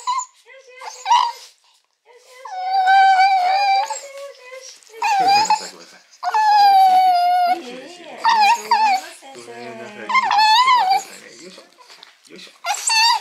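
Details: Mame Shiba, female about eight months old, crying loudly when picked up after spay surgery in January 2022; long wavering, howl-like whines that rise and fall in pitch, given in bursts with short pauses, almost speech-like.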